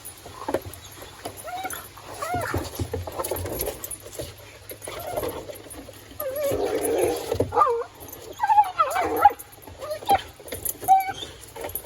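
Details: A Collie named Mr. Speckles plays with his ball on a playground built for the family's kids, giving high wavering whines and short yips between pauses, with a person talking and some rustling.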